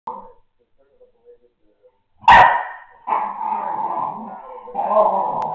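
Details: American Staffordshire Terrier puppy at home, growling and snorting indoors for no apparent reason, a habit it shows a couple of times a day; a few faint soft sounds, then a sharp snort and long droning growls with a brief pause between them.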